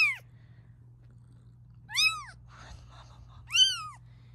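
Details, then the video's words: Protective mother cat meowing as her kittens are filmed: three clear, high, arching meows roughly every 1.7 seconds, each rising then dropping, with faint rustling between and a constant low hum indoors. "We wanted to show you how our kittens growing up but their mom was against it"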